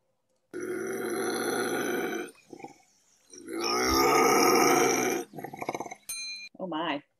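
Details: A bobcat gives two long, harsh, rasping growls, each about two seconds, likely a defensive growl, followed by a short ringing bell-like tone and brief voices.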